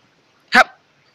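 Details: A pet Alaskan Malamute lets out one sharp, loud bark that cuts off abruptly in an otherwise silent room.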